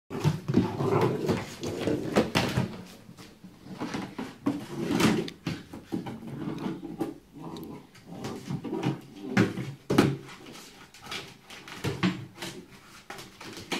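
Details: A 5-month-old Cardigan Welsh Corgi fighting with a bowl growls in low, rumbling bursts amid hard clattering knocks.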